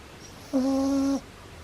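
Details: A single drawn-out snore from Pablo the pug puppy, asleep. It is a smooth, steady, whistle-like nasal tone lasting under a second in a quiet room.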